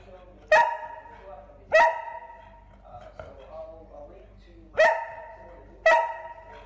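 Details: Golden Retriever. Single deep barks from a Golden Retriever burst out one at a time, each abrupt and ringing, with irregular gaps between them. A person's voice murmurs faintly in the background.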